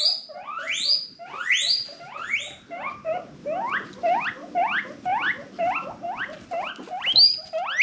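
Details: Happy wheeking from a household guinea pig herd adopted from a rescue: loud, whistled, upward-sweeping squeals repeated about twice a second, each rich in overtones, with a faint low rumble underneath.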